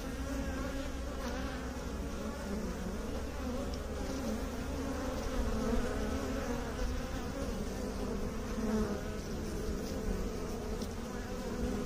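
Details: A dense, continuous hum of honey bees, a low buzzing drone with stacked overtones that holds steady for about twelve seconds, with slight rises and dips in loudness.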